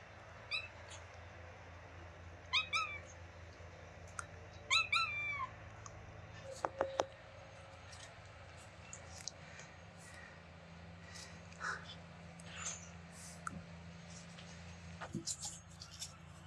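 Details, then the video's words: Kitten named Mira, met on holiday in Greece, making her sweet beeping sounds: short, high, chirpy peeps in small clusters during the first five seconds, then quieter with scattered clicks, rustling and a steady low hum underneath. "Cute Kitten Mira making sweet Beeping Sounds"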